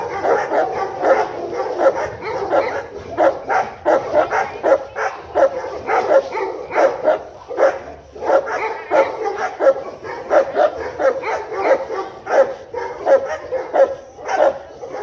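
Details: Native Tibetan Mastiff from Tibet barking continuously for fifteen seconds, with gruff, repeated barks at an irregular pace of over one per second.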